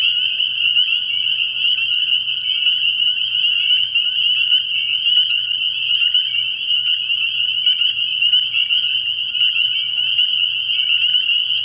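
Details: Many spring peepers in a nighttime frog pond in early spring, their high piping peeps blending into an unbroken, shrill wall of sound that holds steady throughout, a soft low throb beneath.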